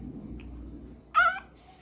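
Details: A small female dog "talking" when asked if she is hungry gives one short, wavering, whiny yowl of about a quarter second, with a woman's voice speaking to her before and after.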